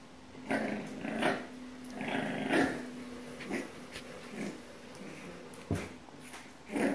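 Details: Ten-week-old French Bulldog puppy trying to reclaim its bed from a cat indoors: a sustained low growl with short whiny yelps and grumbles in between, in a small room.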